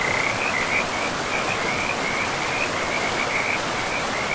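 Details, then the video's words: High, rattling frog calls come in fast short bursts nearly every half second beside a river in untouched forest, with the river's steady roar filling the background. "River and Frogs sleep sounds"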